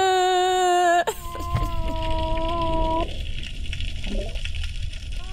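A Hawaiian monk seal gives steady, tonal underwater whines, a call thought to be tied to foraging.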